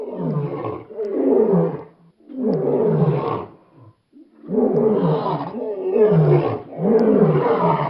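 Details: Lion roaring in four long, deep, harmonic bursts of about one and a half seconds each, every burst sliding downward in pitch, separated by short silent gaps.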